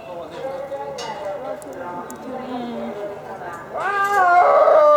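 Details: Captive snow leopard calling at Asahiyama Zoo, Japan, on 6 December 2011: murmuring voices and faint tones first, then a loud rising, strongly tonal wail that swells and holds near the end.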